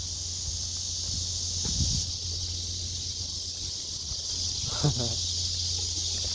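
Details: Blackish cicadas give a steady, high, hissing drone without a break, with a man's brief speech and a low hum beneath, heard while collecting cicadas after work at the end of July, where several other cicada species also call.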